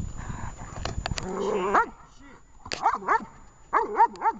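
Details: In a Horlivka training session on 20 July 2019, the dog Vesta's bark starts with clattering noise and a drawn-out whine, then comes in two quick clusters of short, curved barks.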